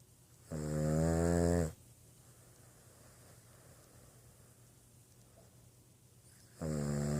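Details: Sleeping Boston Terrier gives a long, rough, buzzy snore of over a second, a quiet pause of about five seconds, then another snore begins; indoor room with faint background hum.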